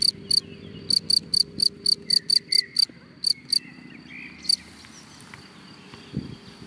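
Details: Cricket in grass chirping in a rapid series of bright, clipped high pulses that stop after about four seconds, leaving quiet rustling and a faint low background hum.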